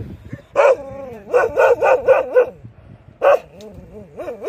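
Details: Livestock guardian dogs barking in loud, harmonic bursts: one bark, then a quick run of four or five strongly pitched barks, a pause, and further single barks with rising and falling tone.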